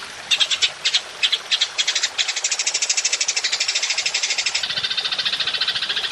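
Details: Golden grasshopper calling for songbird training: a few spaced, scratchy high bursts that merge into a quick, regular rattling trill running to the end.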